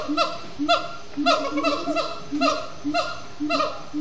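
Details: Captive siamangs at Disney's Animal Kingdom chanting at sundown: sharp honking barks with bright harmonics, each swooping downward, coming in quick irregular pairs roughly every half second to second.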